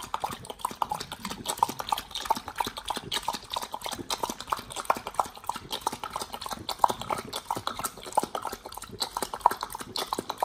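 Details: Raw-fed Pit Bull Nomyen working through beef shank, green tripe, chicken feet and quail egg; continuous dense, sticky chewing and gnawing with frequent sharp crunches throughout.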